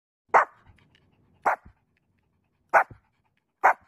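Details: Puppy barking: four short, sharp single barks spaced about one second apart, with near silence between them.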